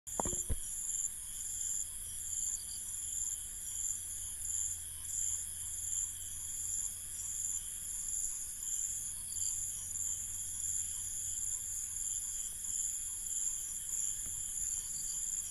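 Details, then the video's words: Crickets calling at night in an Indian village: several steady, high, shimmering trills layered into a continuous chorus with a faint pulsing rhythm, over a soft low hum and a brief knock at the start. "INDIAN Village Night Ambience 002 | Crickets"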